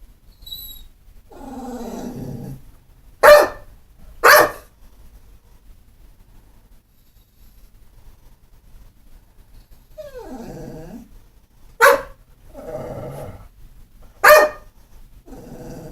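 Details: Pit bull, described as not mean or vicious, giving sharp, loud single barks spaced a second or more apart, mixed with longer, lower whining or grumbling sounds between them.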